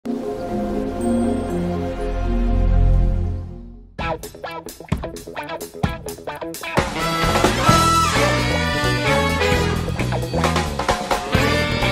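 Only music is heard: a sustained chord, then rhythmic swing-style brass and plucked strings.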